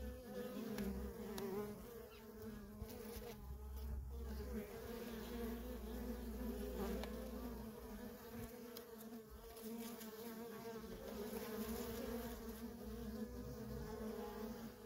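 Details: Constant flight traffic of honey bee workers at a feral nest, a thick layered buzz holding steady for fifteen seconds, individual bees flicking past as faint streaks, with a low rumble underneath.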